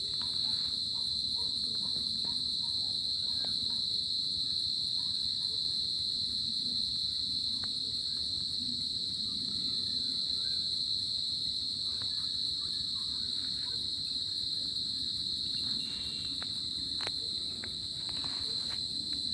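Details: On a summer night in the tropics, crickets keep up a constant piercing trill at a single high pitch, with faint clicks scattered through it and a low background hum.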